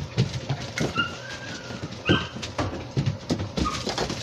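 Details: Seven-week-old Labrador Retriever puppies playing in a playroom give short, high, squeaky whimpers and thin rising whines at scattered moments, over thumps, shuffling and handling noises indoors.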